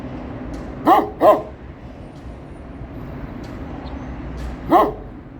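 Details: Kangal guarding its area while a man approaches and stares it in the eye; a quick double bark, then a pause of over three seconds before one more deep bark, over faint background hum.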